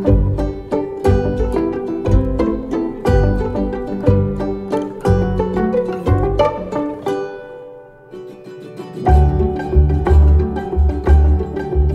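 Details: Plucked string music with a steady beat, pizzicato-like notes and a brief quieter pause before the rhythm returns; no animal sounds.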